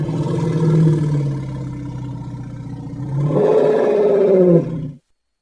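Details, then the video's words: Elephant rumbling low and steadily for three seconds, then rising into a louder, higher harmonic groan before stopping abruptly. "Som de elefante - elephant sound"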